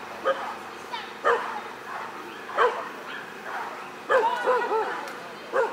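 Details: Border Collie giving short, sharp barks roughly every second, then a quick burst of several barks in a row near the end, with faint background voices.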